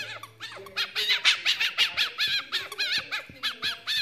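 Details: Belly scratches draw a happy, laugh-like response from Lucy, a pet fennec fox: quick repeated squeaky chirps, about two per second, high and wavering, with bouncy arched tones over a faint low hum.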